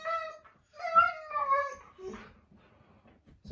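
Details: Siberian Husky at home making its complaint to dad with a wavering, talk-like whine that rises and falls over two phrases, then trails off as soft background noises remain.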